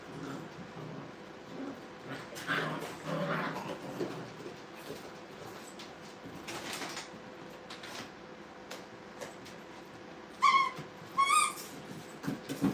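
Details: Playing Brittany puppies in a kennel: scuffling and shuffling noises, then a burst of short, high, harmonic yips in quick pairs toward the end, with a steady background hum.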